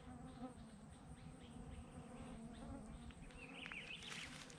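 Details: Flies swarming a cyclist on a mountain crossing in Togo, keeping close so he cannot stop; a continuous low droning buzz under wind noise, with a brighter rustle toward the end.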